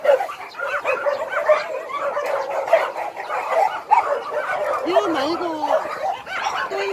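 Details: Abandoned dogs at Hanna's Shelter in Daegu, South Korea, keep up a steady chorus of overlapping barks and yips, with a drawn-out whine near the end and human voices mixed in.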